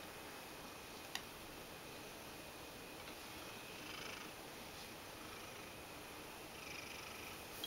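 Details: Ragdoll cat Mojio purring while kneading to beg for attention; a soft, steady, even rumble runs beneath a hissy background, broken by one sharp click near the one-second mark and faint rustling later.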